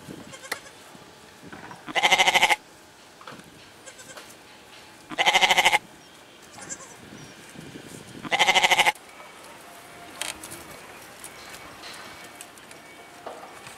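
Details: Goat bleating three times, each call a strong, harmonic, quavering bleat lasting about half a second, spaced roughly three seconds apart, with quiet background noise between.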